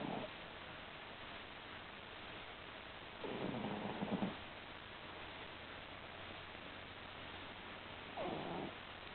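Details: Sleeping pet cat snoring indoors: soft, breathy rasping snores, each lasting about a second, spaced several seconds apart over a faint steady background hiss.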